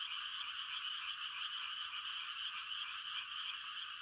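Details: Countless frogs make mating calls on a quiet country night in rice-planting season in Korea, forming a constant shimmering high trill of rapid pulses.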